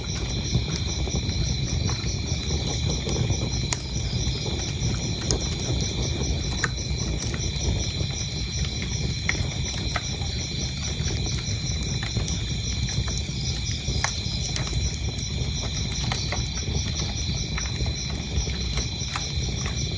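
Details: Crickets chirp steadily as a continuous high, ringing chorus with several pitch layers and pulsing texture, mixed with the crackling and popping of a burning fireplace and a low rumble throughout.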